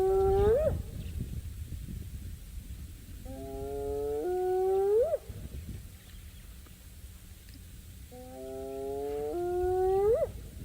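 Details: Spotted hyena calling back to earlier wild dog calls in a game reserve at Djuma during a sunrise drive; three rising whoops, each a low tone climbing sharply at its end, spaced about four seconds apart.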